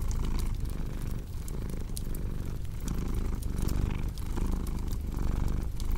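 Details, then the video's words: Low throbbing cat purr in slow breath cycles, overlaid by frequent crackling and popping from a fireplace. "Purring Cat with Cozy Crackling Fireplace Sound"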